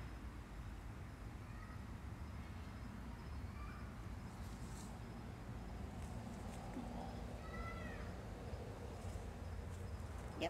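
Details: Stray cats gathered at a new feeding place at night after being fed, giving several faint, short, curving meows spread through the stretch over a steady low rumble of background noise.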